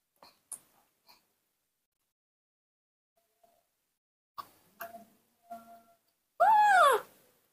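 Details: Baby monkey, raised by a person, calling while missing its mother: a few faint short squeaks and soft chirps, then one loud, drawn-out, wavering whine that arches up and falls for under a second near the end, with a quiet room otherwise.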